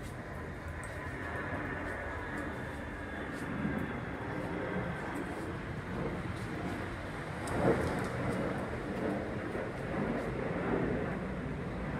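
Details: Muffled rumbling noise like a passing vehicle fills the recording, with faint indistinct knocks and no barking.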